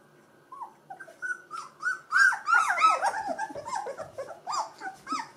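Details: Gordon Setter puppies of the E litter, two weeks old with eyes and ears just opened, whine in overlapping rising-and-falling squeals that swell louder midway as several voices pile together.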